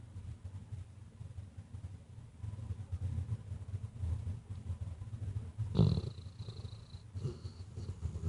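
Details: Sleeping female Weimaraner gives soft, low, rhythmic snoring breaths. Near the end a short sharp snort breaks in as she briefly stirs, opening her eyes before dozing off again.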